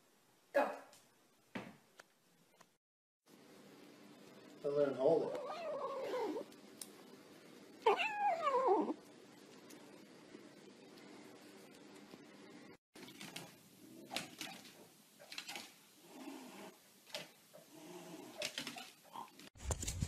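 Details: Pet cat in a small indoor room giving two drawn-out, wavering meows that rise and fall in pitch, amid low room hum, followed by indistinct talking and household noises.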